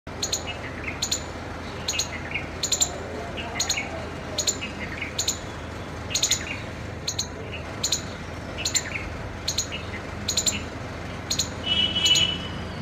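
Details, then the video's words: Squirrel calling with sharp, high, clipped chirps repeated steadily about twice a second, some notes doubled, against a constant soft background hiss. "गिलहरी येसे क्यों बोलती है"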